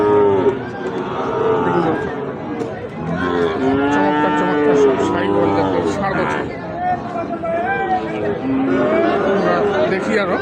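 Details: Sahiwal bull calves at Ambari haat, a cattle market held Fridays and Mondays. Several long, drawn-out moos rise and fall one after another over a steady hum of market crowd and voices.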